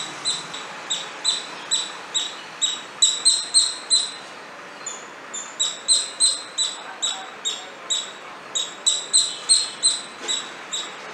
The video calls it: Sound of cute Squirrel